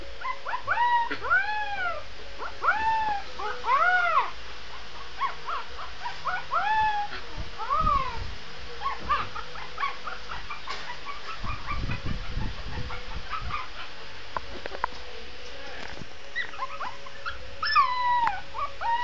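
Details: Young Shih Tzu pup howling in bursts of arched, wavering cries with clear overtones, several in quick succession, then quieter whimpering stretches and soft thuds before a final rising wail.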